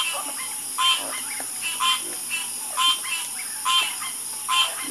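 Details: Frogs croaking at night: a prominent caller gives loud, bright croaks roughly once a second, fainter croaks slipping in between, all over a continuous shrill background hum.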